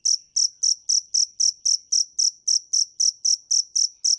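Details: Rapid shrill chirps of a dế mèn cricket, crisp high notes following each other at roughly four per second, evenly spaced, in a quiet background.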